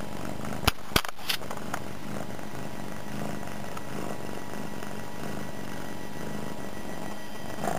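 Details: Pet cat Suki, newly settled in her home, purrs away while lying on the floor by a computer; a soft, even low rumble with fast regular pulses, preceded by a few sharp knocks in the first second.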